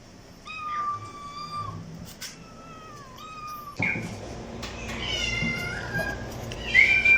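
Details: Kittens and cats meowing, several drawn-out level meows in the first half, then a louder burst of overlapping higher, rising meows.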